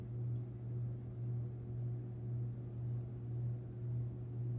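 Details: Long-haired Chihuahua named Tinkerbell asleep and dreaming, recorded April 17, 2021; soft, steady low snoring, each breath swelling and fading about every second, over a constant low indoor hum.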